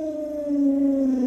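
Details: Alaskan Malamute Luoluo, pampered by grandma, sustains a smooth, steady howling note that drifts slightly lower across just over a second, with no other sounds.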